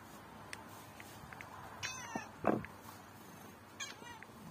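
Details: Domestic cat giving one short meow at mid-clip, with faint higher chirp-like calls and light clicks scattered before and after over a quiet indoor background.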